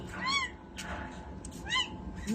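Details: Two-day-old kitten letting out two brief, high-pitched arched mews about a second and a half apart, with rustling and handling noise between them.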